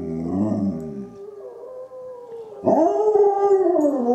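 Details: Izzie, a dog answering wolves, gives a low, rough howl, then a thinner held tone, then a bright, rising howl that holds and wavers with several voices blended together.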